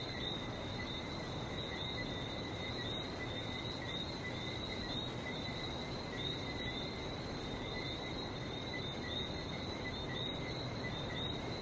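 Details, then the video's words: Chorus of frogs on Barbados beside the sea: many overlapping callers merge into a sustained high-pitched ringing on two stable tones, while steady breaking-wave rumble fills the low end throughout. "Relaxing sounds of #Barbados #frog #sea"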